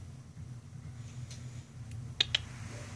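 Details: Low room hum with two sharp clicks close together near the end.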